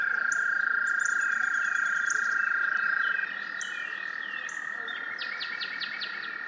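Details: An American toad (Anaxyrus americanus) male gives a long, steady, high-pitched musical trill, its mating call to attract females to a shallow breeding pond in the March–July breeding season, with birds chirping above.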